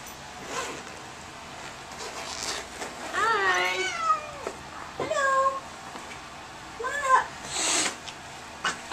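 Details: Angry domestic cat yowling while being examined, three drawn-out harmonic meows around three to four seconds, five seconds and seven seconds, with people talking softly in between.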